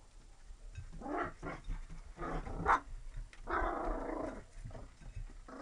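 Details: Energetic Labrador Retriever mix puppies, Lab crossed with Retriever, producing rough, low growls and grumbles in several short bursts, then a longer sustained growling stretch near the end, with quiet room background between.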